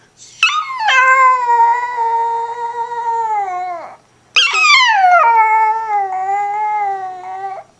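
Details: Chihuahua dog howling: two long sustained tonal howls, each starting with a high rising yelp then holding a steady, slightly wavering pitch for about three seconds before dropping off.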